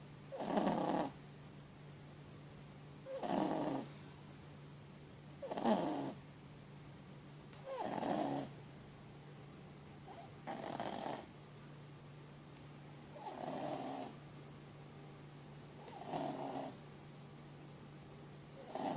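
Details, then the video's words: Mochi, a sleeping four-month-old Boston Terrier and French Bulldog mix, snores loudly after a long day. Eight gravelly snores come at a fairly even pace, about one every two and a half seconds, with a low hum underneath. "Un chiot ronfle bruyamment"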